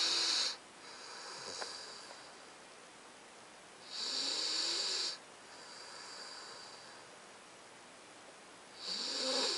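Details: A 9-week-old Alaskan Malamute puppy snores in soft, airy, hissing breaths that come about every four seconds.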